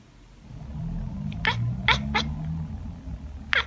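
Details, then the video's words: Domestic tabby cat giving a few short, sharp chirps, four quick bright bursts spaced irregularly over a low steady household hum. "Tabby Cat Billie's Chattering and Chirping"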